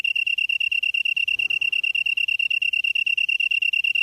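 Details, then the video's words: Bug singing in the grass at Byeollae-myeon, Namyangju, Korea, 7:59 PM, September 2016: an unbroken run of fast, evenly spaced high-pitched pulses forming a bright metallic ringing trill, with a soft muffled rustle midway. "풀벌레 소리/sound of a bug / живущие в траве /虫の音"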